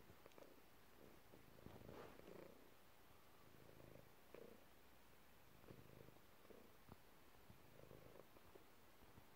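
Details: Chilled domestic cat resting in a messy room, giving a soft, deep, continuous purr that swells and fades in regular pulses, with occasional small clicks.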